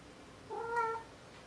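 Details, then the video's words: A single steady, level meow from Maru the cat, about half a second long, smooth and tonal with clear harmonics over a quiet room. "鳴くねこ３。 meow meow Maru3"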